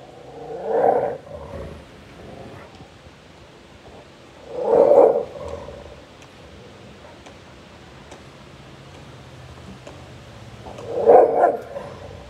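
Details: A Rottweiler confronting a local street dog gives three harsh, deep bursts of barking, spaced several seconds apart, in an aggressive threat.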